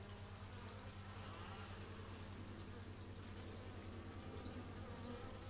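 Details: Buzzing bees captured with an x/y stereo microphone, a continuous low hum layered with gliding, wavering tones that rise and fall as individuals fly near, with no other clear sounds.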